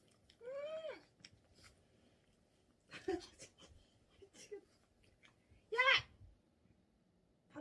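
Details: Gippeumi, a food-loving Pomeranian, up since dawn and waiting for its owner to wake, gives two drawn-out, arched whines, one early and a louder one near the end, with soft taps and indoor clatter between them.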